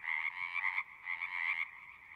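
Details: Frogs at a pond in a horse pasture, Zoom 6 recording: two close bursts of rapid trilling, each under a second, separated by a short dip while a quieter chorus continues behind.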